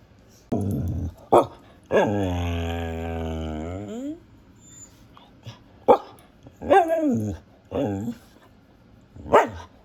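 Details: Female Siberian husky barking, howling and talking: a short bark, then a two-second flat, even, richly toned howl, followed by several bent, whiny talking yowls and a final bark.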